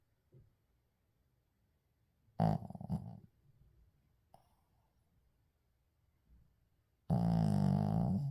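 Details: Sleeping Shih Tzu Uijung, captured without editing: a short, broken snort-like snore with stuttering pulses, a long quiet gap with faint breathing, then a sustained rough low-pitched snore starting near the end.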